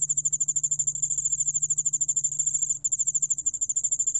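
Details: Rapid, sharp pulses from a yeoul-allak-bangul-beolle cricket (2020 National Institute of Biological Resources recording) form a high bell-like trill, briefly interrupted once near the end, with a quiet low-frequency hum behind.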